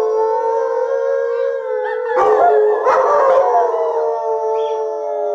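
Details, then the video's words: Alaskan Malamutes Sojou, Fish and Dotty howling alongside the next generation; steady layered tones broken midway by rough, noisy yelping bursts before the smooth chorus resumes. "Next Generation Howling"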